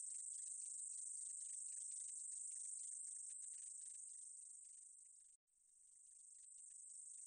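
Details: Meadow katydid's high, hissing buzz that weakens gradually, breaks off in a brief silent gap near the end, then resumes softly.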